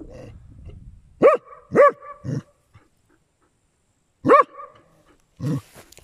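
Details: Swimming dachshund in hot weather barks in short bursts: two sharp yaps and a lower gruff one, a silent gap of nearly two seconds, then another high bark and a low grunting sound, with faint splashing at the start.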